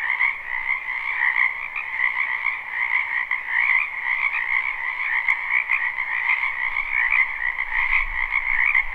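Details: A live spring recording from a wetland full of croaking frogs: overlapping rapid trills merge into a constant buzzing chorus, with a faint low rumble near the end.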